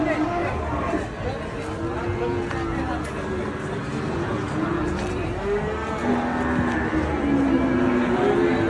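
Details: Agitated cattle from Indonesia giving drawn-out lowing calls over a dense, noisy background of crowd murmur and commotion, with several wavering moos near the end.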